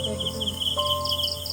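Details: In a village at dusk, crickets call without pause in high, pulsing chirps that repeat steadily, with a brief tonal hum partway through.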